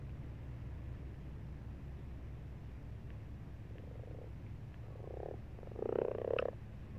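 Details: Frogs in a pond during March, quiet at first, then short purring croaks building into a louder grating burst near the end, over low steady hum.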